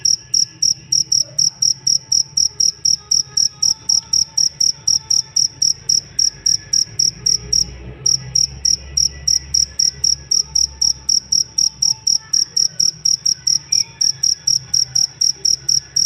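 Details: Long sequence of cricket chirps offered as a master recording for songbird training: about sixty sharp, high buzzy pulses at a brisk steady pace, briefly pausing near the middle before resuming, with low murmuring background noise.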